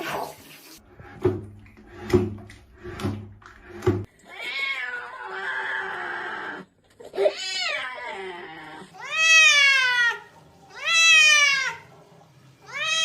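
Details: Domestic cat protesting during a bath, giving a run of loud, drawn-out meows that rise and then fall, each lasting about a second, after some splashing and knocking sounds at the start.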